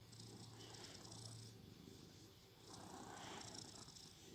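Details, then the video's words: Shandy, a pet cat, snoring while asleep: two long breathy swells of broad, soft noise, the first fading after about a second and a half and the second rising near the end, with a low steady hum beneath. "SNORING SHANDY"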